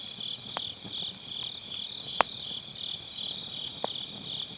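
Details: Grass insects calling on an autumn night beside a round campfire, captured with a Sennheiser MKE600 using low cut: a steady, shimmering high trill that never pauses, with sharp crackles and pops from burning firewood.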